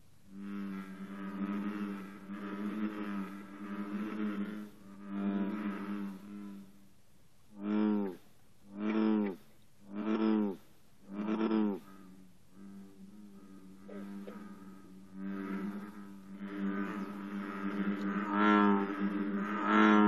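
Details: American bullfrogs chorus in the morning at 54 degrees, deep resonant droning calls overlapping in a repetitive pattern, with a run of separate booming notes; green frogs add twangs between verses.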